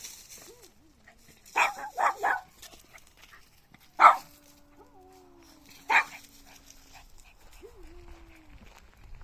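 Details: Puppy barking: a quick run of three sharp barks, then single barks about two seconds apart, with faint whistled tones and quiet background in between.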